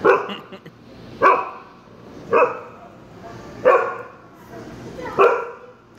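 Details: Dog in a Petco store barking at a cat: five sharp single barks spaced about a second apart, with faint store background.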